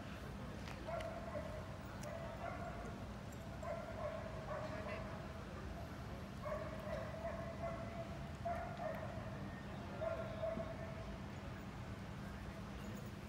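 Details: Belgian Malinois at the seventh working dog competition in Hanoi, Vietnam, during training: a series of ringing, mid-pitched barks, some drawn out, coming in bursts every second or two over a steady low hum.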